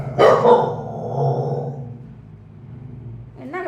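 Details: A street dog gives one loud, harsh bark near the start. A low rumbling tail follows, and a short whining sound rises at the end, with human voices nearby.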